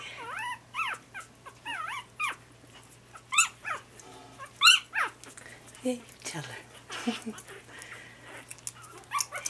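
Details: Lhasa Apso puppies just starting their fourth week, in the puppy pen on 27 January 2012, give high, wavering whines and yelps while a person talks to them.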